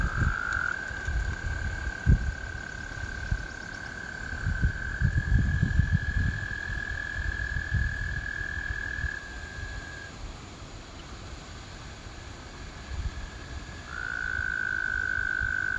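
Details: American toads harmonizing in spring: long level trills run for about ten seconds, stop for a few seconds of quiet, then a fresh trill starts up strongly, with low gusty rumble early on.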